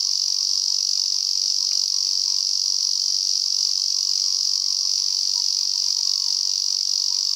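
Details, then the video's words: Singing male Lyristes japonicus in cool mountain conifer forest near Kobe, Japan, a cicada that often calls perched head-down and moves about a lot: a steady, piercing, buzzy drone without pause, one brief click near the start. "エゾゼミ(♂)の鳴き声 ～Sound of a Lyristes japonicus ～"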